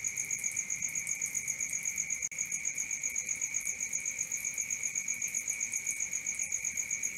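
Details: Night-time cricket chorus with an even, rapid chirp of roughly four pulses a second, two bright piercing tones held without a break, and a single soft click partway through.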